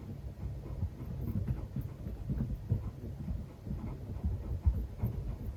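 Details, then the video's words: Low, muffled "bu bu" grunts come in an uneven run from Fuku, a playful male Netherland Dwarf rabbit in an old Japanese country house, voicing happiness during play with his owner. "嬉しすぎて喜びの鳴き声を繰り返すウサギ 飼い主と遊んで「ブッブッ」鳴いてます。"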